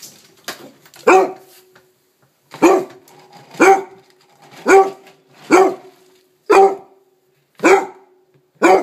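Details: Pet dog indoors demanding its breakfast, giving sharp, loud single barks about once a second, eight in all, with brief quiet gaps between them.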